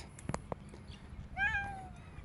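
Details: Stray domestic cat, one of a group filmed outdoors, giving a single clear falling meow lasting about half a second after a few faint clicks and taps, with a low background hum.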